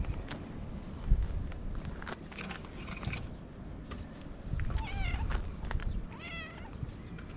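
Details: Cat in Japan crying "nyaa nyaa" because it wants to play. Two clear meows near the end, each a rising-then-falling nasal wail, are heard over steady wind and handling bumps.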